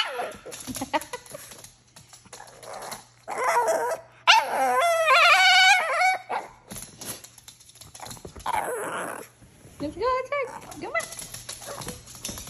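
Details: Shih tzu "talking": a drawn-out, wavering whine-howl rises and falls for about two seconds in the middle, with shorter yelping moans before and after, mixed with a person speaking and laughing nearby indoors.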